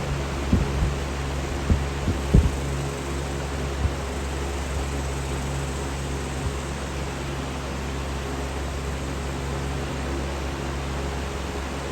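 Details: Steady fan or air-conditioner hum with a few soft knocks, and no animal sound heard.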